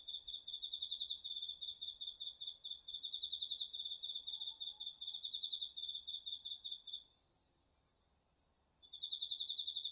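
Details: A cricket among the autumn insects singing at night in a garden vegetable plot, DR-40X recording: high, buzzy pulsed chirps repeat quickly for seven seconds, stop for two, then start again.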